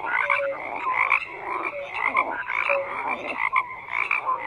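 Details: Many frogs croak together, a steady rasping chorus with short whistled notes popping out between the coarse, repeated croaks.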